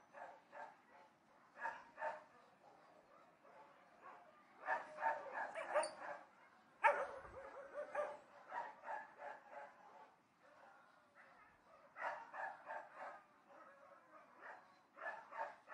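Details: Barking dogs at a distance: clusters of sharp barks from several animals come in bursts with short quiet gaps, with one loud sudden thump near the middle.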